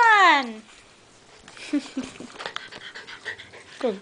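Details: A female Jack Russell Terrier playing hide and seek and remembering where her owner hides: a high, harmonic whine sliding steeply downward, then scuffling and soft movement noises, a short falling whine at the end, with speech present.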